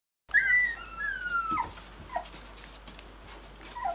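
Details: Spaniel complaining indoors, a high whistled whine sliding steadily downward for over a second, then a few short, lower whimpers spaced apart in a quiet room.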